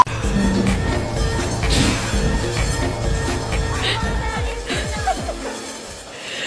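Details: Music with a heavy beat plays throughout, with no animal voice standing out. A few bangs and clatters break through near the end.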